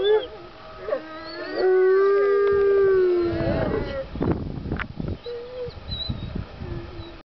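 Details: On the Fourth of July, with no fireworks nearby, gray wolves at the California Wolf Center howl in long, smooth, sustained tones, one voice holding steady before others join.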